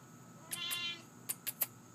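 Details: A talkative Siamese cat gives one short, harmonic meow lasting under half a second, followed by three sharp clicks, with a steady low hum underneath.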